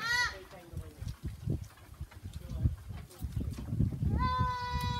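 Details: Goats on a farm: a short, falling bleat opens, followed by thumping and shuffling noises, then a clear, sustained, steady bleat near the end.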